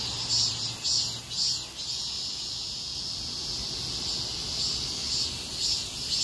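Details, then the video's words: Cicadas chorusing on a street during a heatwave; dense high hissing buzz with pulsing bursts roughly twice a second, low traffic rumble beneath. "폭염속 매미들의 거리합창"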